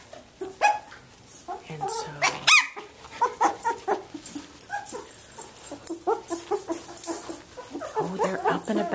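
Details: Seventeen-day-old Samoyed puppies at play as their mother comes in to them: thin, high squeaky whimpers and squeals scattered irregularly, some rising then falling, over rustling, shuffling and handling noises.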